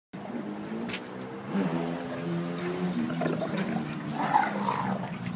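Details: Duke, a 7-year-old blue/red pitbull, and Lucy, a 7-month-old German Shepherd, play wrestling; low, harmonic growling runs almost continuously, swelling after the first second and a half, with scuffling and rustling underneath.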